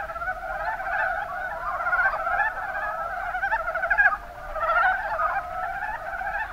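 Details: Rana ornativentris, the Mountain brown frog, calling in numbers in the Kuma Basin, Kumamoto, Japan: continuous overlapping clucking croaks in quick pulses, swelling and fading in waves with a brief louder burst midway.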